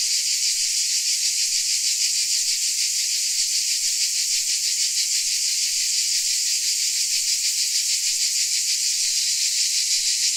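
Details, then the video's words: Many crickets in Dalmatia shrill continuously, a bright high-pitched wall of sound with soft regular throbbing about three times each second, unchanging across the whole stretch. "Dalmatia Crickets Sound Effect"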